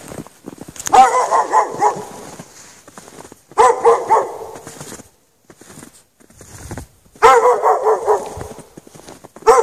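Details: Chained out in the snow at night with no shelter, a dog barks in repeated rapid bursts of several barks each, separated by pauses of a second or two.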